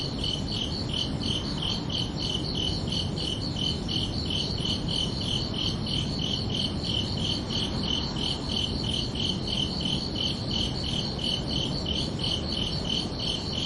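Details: Summer night crickets give a rapid run of bright, ringing chirps, about three each second, steady and unbroken, with a soft rushing low background throughout.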